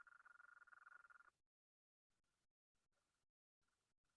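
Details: A Gulf Coast toad (Incilius nebulifer), the most common toad of the northern Blackland Prairie, gives its long, extended call: a steady, rapid, buzzy trill at a mid pitch.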